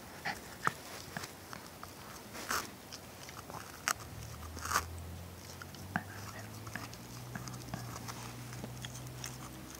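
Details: Shiba Inu and Schipperke cross named Ronin gnawing a tennis ball inside a small room; sharp squeaky bites and rubbery crunches come at uneven intervals, with a low hum in the background.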